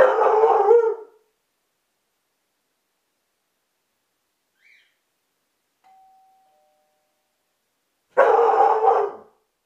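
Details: Belgian Sheepdog (Groenendael) barking indoors after the doorbell is rung, captured by a hidden camera: a loud, harsh bark about a second long, then a quiet two-tone ding-dong chime, then a second rough bark near the end.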